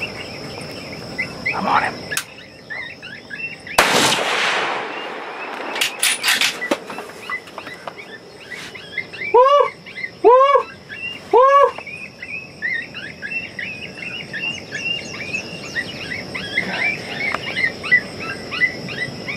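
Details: Summer coyotes: a couple of sharp bangs, then three loud, clipped, rising-and-falling barking howls about a second apart, surrounded by faint, high, chattering yips and a persistent insect whine.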